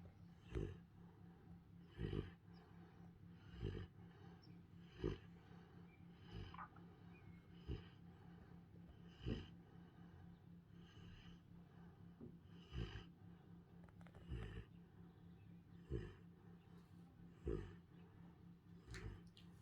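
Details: Central Asian Shepherd Dog puppy snoring loudly while asleep; low rumbling breaths repeated roughly every one and a half seconds, each with a brief louder snort, steady and quiet throughout.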